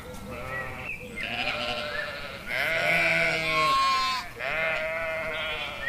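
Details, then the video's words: Sheep bleating: several overlapping wavering, nasal bleats of varied pitch, some high and quavering, others lower, following one another almost without pause, with a brief lull near the middle. "Sheep, sound"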